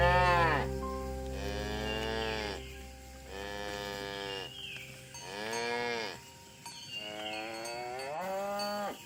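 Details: Morning herding of tame cows through a village toward grassy fields: a series of four or five drawn-out moos, each arching up then falling, spaced about two seconds apart, with light background hum.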